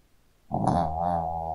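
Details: Pet Shih Tzu sleeping and snoring, a single loud, rough, droning snore starting abruptly and holding steady.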